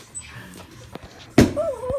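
A Boston Terrier gives a short thump-like yip, then a wavering, nasal whine of refusal.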